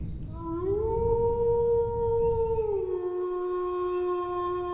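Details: A single dog howl swells upward, holds a steady, even note for about two seconds, then drops to a lower sustained tone over a low rumbling background.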